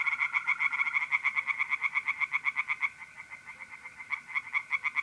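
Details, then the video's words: Mid-April night at a pond in North-East Italy: tree frogs croak in a fast, rhythmic pulsing chorus that briefly softens before building again, with mole crickets trilling evenly beneath. "relaxing singing tree frogs in pond and trilling mole crickets by night"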